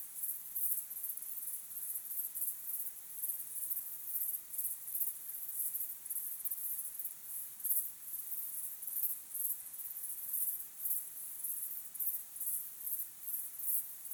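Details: High, insistent cricket chirps at sunset, a dense pulsing trill throughout with slight rhythmic rises and dips in loudness.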